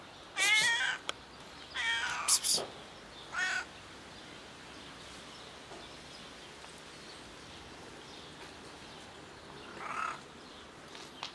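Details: Cat rolling on a parked car makes weird sounds: a cluster of strained, harmonic meows in quick succession, a pause, a short wavering cry, then a long quiet gap before one more brief meow, with faint background hiss.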